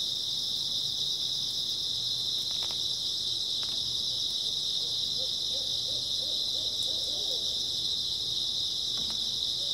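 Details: Grass insects chirring at night in early autumn, a constant piercing high drone filling the whole stretch, with a few faint soft clicks and a quiet low wavering trill midway through.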